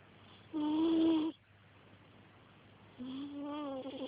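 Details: Pickles, a cat snoring on the sofa while apparently dreaming: two drawn-out, whistling nasal tones of about a second each, separated by quiet breathing, the second slightly lower and wavering.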